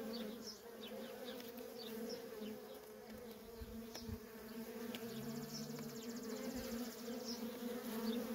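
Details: Worker honey bees in nonstop traffic at a feral colony: a steady, dense hum centred low with a strong band and overtones, individual bees zipping past as brief rising and falling whines above the drone.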